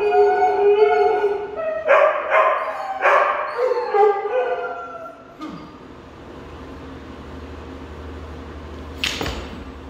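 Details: Husky, German Shepherd and Weimaraner join in a group howl: several overlapping quavering howls for about five seconds, then fading into quiet room noise with a brief sharp sound near the end.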